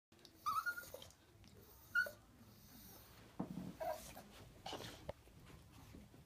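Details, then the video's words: Chihuahua named Tinker Bell, at home as her owner prepares to leave, pleading not to be left alone: short high whines rising and falling, three separate bursts across six seconds, with breathing sounds and a woman's soft voice nearby. "My chihuahua Tinker bell telling me not to leave her alone!"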